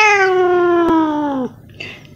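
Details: Long drawn-out meow from a baby cat, about one and a half seconds, sliding gradually downward in pitch and ending with a lower drop. A brief faint second sound follows in a quiet room.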